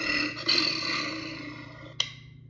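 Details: Sloth bear making a long, rough, harmonic roaring call that swells after a brief start and fades slowly over about two seconds, interrupted by a sharp click, with a low hum throughout.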